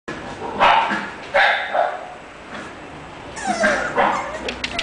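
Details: English Bulldog at a breeding kennel giving a few loud, short barks and yips in separate bursts, with quieter gaps and some human voice sounds between them.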